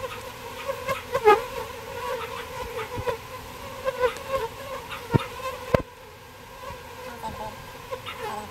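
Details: Bees taken out of a birdhouse for transfer to a bee box produce a constant layered hum, with frequent taps and rustling early on, then a quieter, steadier drone.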